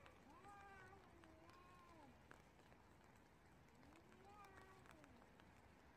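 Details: Stray cats fighting on a street in the rain give long, wavering, drawn-out yowls that rise and fall, heard over steady rain.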